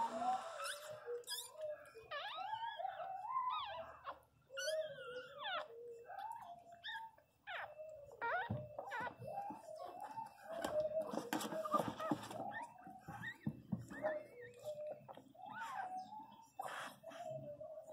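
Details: Female Pinscher crying very loudly indoors while giving birth to her first puppy: long wavering whines and wails that rise and fall in pitch, coming in uneven bursts throughout, with short pauses and soft background voices.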